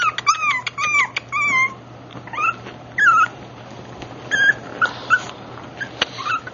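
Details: Black rough-coated Brussels Griffon puppy, AKC registered, giving high-pitched whimpers in scattered bursts: first a quick cluster of falling squeaks, then single bending whines spaced a second or so apart, with faint rustling between them.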